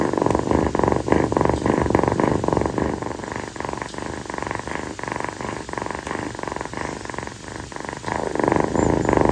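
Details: Close-up of continuous purring from a young female calico rescue kitten, affectionate and staying on its owner's feet through a hot night. The low pulsed rumble repeats roughly three to four times a second and stays even throughout.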